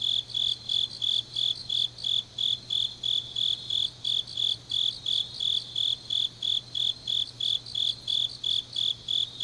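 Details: Autumn grass insects at night in Changnyeong, South Gyeongsang Province, Korea, chirping in a regular high-pitched beat of roughly three pulses per second, with a softer, quicker chirping chorus above and a faint constant low drone.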